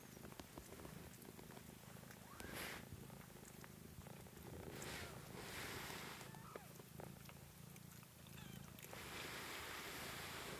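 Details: Continuous low purring from kittens, recorded 13 March 2017, a throbbing rumble that holds for the whole stretch beneath rustles, scratches and faint bursts of broadband noise.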